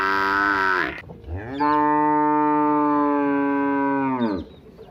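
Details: A village cow gives one long, loud moo. It swells up, holds steady for about three seconds and then fades. The tail of an earlier call is heard just before it.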